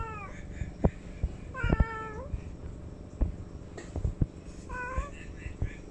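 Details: Cat meowing three times, short downward-sliding meows with rich harmonics, the middle one longest and falling in pitch, over low rumbling background noise and scattered clicks.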